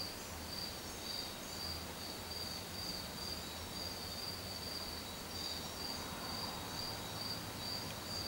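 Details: High, thin cricket chirps from a cricket cleaning itself, repeated about twice a second in an even run, with a faint low hum of background noise beneath.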